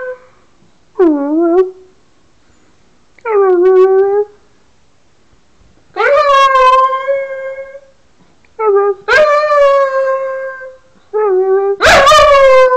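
A dog howls in a series of drawn-out, wavering notes that rise and fall.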